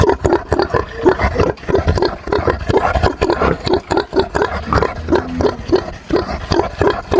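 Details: Farmyard pigs grunting together: a steady run of short, hoarse, low grunts repeated several times a second, with occasional higher squeaky notes mixed into the rough chorus.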